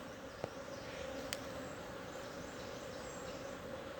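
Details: Wild honey bee swarm in a tree hole in the Timang jungle, Manang district, Annapurna region, Nepal, while being caught by bare hand for a new hive. A steady droning hum runs throughout, broken by two sharp clicks.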